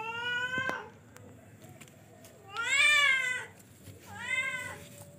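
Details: Charcoal F1 cat (kucing) giving three clear meows in a quiet indoor setting: a falling call that ends early, then a loud, drawn-out wavering meow near the middle, and finally a shorter, softer meow.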